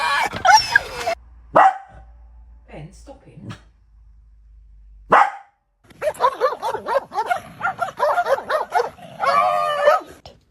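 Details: Pet dog making strange noises: after a few brief sounds, a run of rapid, wavering, yodel-like harmonic yelps and moans, about one per second, ending in a longer warbling whine.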